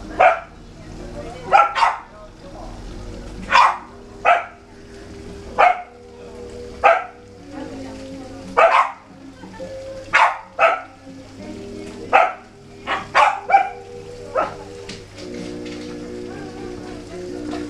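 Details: Welsh Corgis, two dogs, being petted; short sharp barks repeated roughly every one to two seconds throughout, with a steady low hum and faint music underneath.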